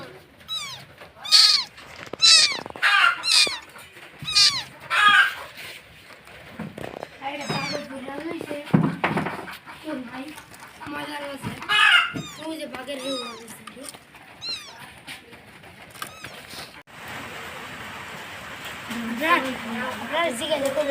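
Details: Domestic cat in Bangladesh giving a run of high, arching meows in quick succession early on, then people talking loudly over fainter mews indoors.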